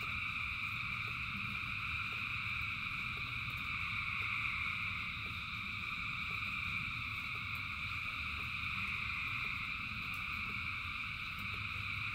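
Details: A huge frog chorus in rain, thousands of voices blending into an even, ringing trill with a brighter high layer swelling midway, backed by constant low rain noise.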